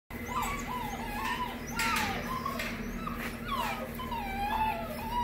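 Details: Male Great Pyrenees puppy, AKC registered, born 9 April 2020 and sired by a male imported from Hungary, in Norco, California. Overlapping high, wavering whines and whimpers slide up and down almost continuously over a steady low electrical hum.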